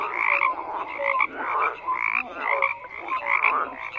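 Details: Frogs in a dense chorus of croaks, rough pulsed bursts overlapping every half second or so, with short whistled tones mixed in; no other sounds stand out.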